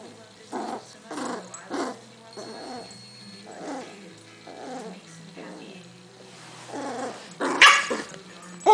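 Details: Butterball, a pet dog, growls in discomfort while his fat stomach is tickled; short rumbling grumbles pulse roughly every half second to second, ending in a louder sharp burst.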